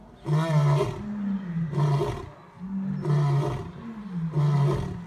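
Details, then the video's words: Male lion roaring: four deep, grunting bursts about a second apart, each a short low moan with strong harmonics, loud and forceful, with brief quiet gaps between them. "Which Lion has the LOUDEST ROAR!"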